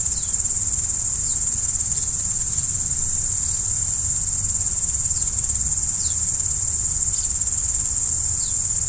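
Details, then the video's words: Under a starry night sky, crickets keep up a constant high-pitched trilling, while quick falling chirps repeat about every half to one second across the recording. "Stars at Night BLACK B/G - Video & Audio Crickets"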